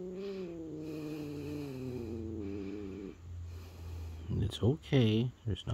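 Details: Female domestic cat, normally friendly, turning territorial and in a bad mood, gives a low, drawn-out moaning growl lasting about three seconds and wavering slightly in pitch, then a person speaks soothingly close by.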